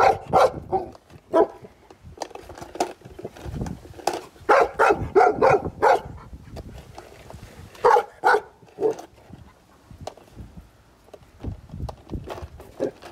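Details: Pet Golden Retriever barking at skateboards: irregular bursts of sharp barks, several in quick runs, with quieter stretches and low rumbling background noise between them.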